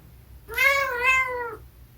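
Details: A single clear meow from a Munchkin cat in a home, about one second long, bright and slightly wavering, rising then easing down, with near silence around it.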